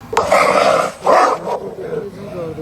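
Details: Dog fighting a snake, giving loud harsh barks: two long, strained, roaring barks about a second apart, then quieter growling whines, with people's voices mixed in.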